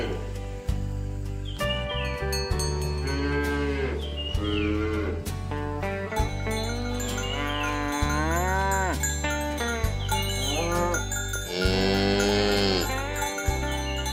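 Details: Herd of tame cows driven along village roads in the morning toward the pen: repeated overlapping moos from several animals, some rising, some sagging, with a steady low drone and occasional clanks throughout.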